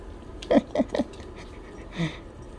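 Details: Poodle-mix dog indoors greeting its male owner as he returns home after a four-day business trip; three quick, short barks in a row, then a single softer bark a second later, with a faint room hum.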